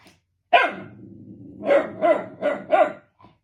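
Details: Shiba Inu barking at something unseen: one loud opening bark followed by a low rumbling growl, then four quick barks spaced roughly a third of a second apart, ending with a faint soft yip.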